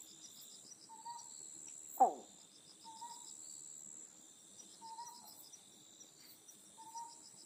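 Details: An Otton frog, endemic to Amami Oshima, gives short, hollow single notes every couple of seconds over a night insect chorus, recorded on a night tour.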